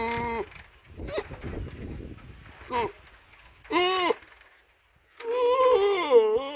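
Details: Goat bleating: several short nasal bleats in separate bursts, then a long wavering, quavering bleat lasting over a second at the end, with soft rustling in between.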